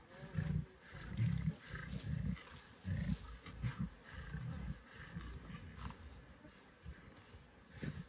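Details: Lions of the Nkuhuma pride at a buffalo carcass, Sabi Sands, 24 December 2023, give low grumbling growls in uneven bursts, loud at first and fading toward the end.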